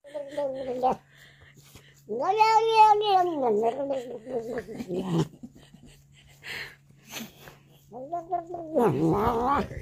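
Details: Domestic cat in a funny compilation giving three drawn-out meows: a short one, then a long wavering yowl that rises and falls, then a final rising, strained yowl, over a steady low hum.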